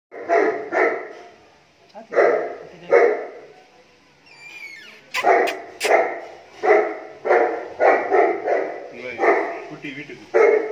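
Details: Show-level Saint Bernard barking deep, full-toned woofs repeated roughly once a second, with a brief squeaky whistle and a few sharp knocks partway through.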